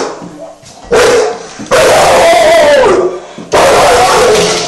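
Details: A pit bull puppy on guard gives a loud drawn-out whining cry that rises and falls, in three long bursts separated by short pauses.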